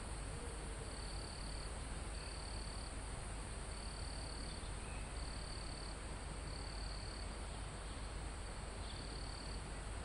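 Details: Live recording near a mountaintop in a calm forest: crickets give high, thin buzzing trills in short bursts with brief gaps, under loud broadband wind noise in the leaves, plus a single short higher chirp midway.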